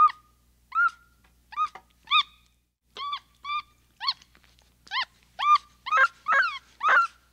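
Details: Rapid series of rising, whimpering chirps from a capuchin monkey, about two per second, growing louder and harsher toward the end of the run.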